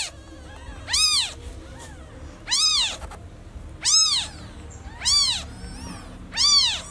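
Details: Baby kitten, newborn and separated from its mother, calling insistently: five loud arched mews spaced a little over a second apart, each swelling and dropping in pitch, over soft background rumble.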